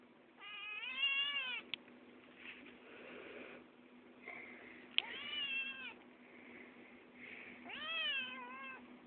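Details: An 8-week-old male Maine Coon kitten gives three drawn-out, wavering meows, talking because he wants to be fed.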